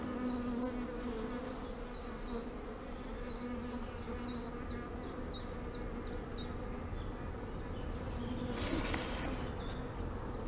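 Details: Calm honey bees humming at a hive during queen cell removal, a dense low drone with a steady tone, while a rapid series of thin high chirps repeats about three times a second, then a brief rustling clatter near the end.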